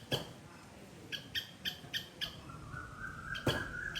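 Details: Loud squirrel calling in a Sri Lankan garden: short, sharp, harmonic chirps repeated at uneven intervals, with a steady whistled tone from another creature rising in the background and faint ambient hiss.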